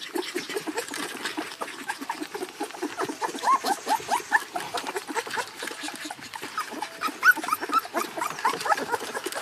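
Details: Screaming in a crate, the puppy gives a busy, overlapping chatter of thin whines and short squeals, with a few brighter piercing yelps standing out toward the middle and end.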